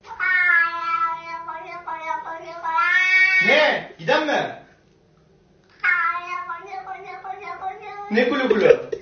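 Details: Domestic cat giving long, drawn-out wailing meows, each held about two seconds with a wavering pitch and a short gap of silence between bursts; some rough, scratchy noise mixed in.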